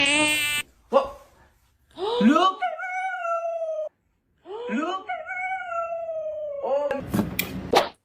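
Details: Dog giving drawn-out howls: each opens with a quick rising yelp, then holds a long, slightly falling tone, twice, separated by silence. A short electronic-sounding tone comes at the start and a noisy burst at the end.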